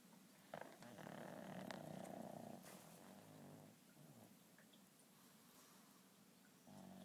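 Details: Sleeping pugs snoring: broad rasping breaths with a steady rumbling texture, one long loud inhalation lasting about two seconds, then quieter breathing and a fresh snore starting at the end.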